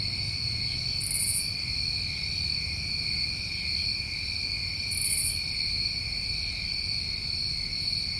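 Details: Summertime crickets recorded in New England: an unbroken, piercing chorus of stacked tones, with two brief raspy bursts around four seconds apart and a quiet low background murmur.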